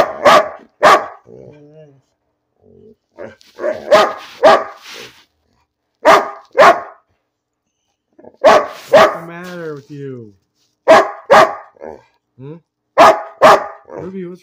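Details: Bean, a pet dog, barking for no clear reason, loud sharp barks in pairs and short bursts mixed with softer whining, yelping sounds and a person's voice between them.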